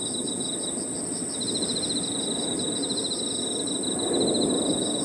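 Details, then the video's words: Evening insect chorus in a park with crickets among other insects: a constant thin shrill tone beside a beaded, fast-pulsing trill that drops out briefly and resumes, with soft low ambient rumble beneath. "Harmonious sound of crickets and other insects 저녁 공원 풀벌레 소리"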